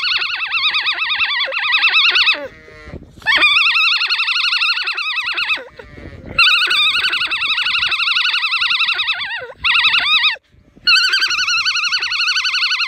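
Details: Female alpaca on a County Kilkenny farm in Ireland singing her so-called opera song: a series of long, shrill, rapidly wobbling notes broken by brief gaps and short downward-sliding squeals.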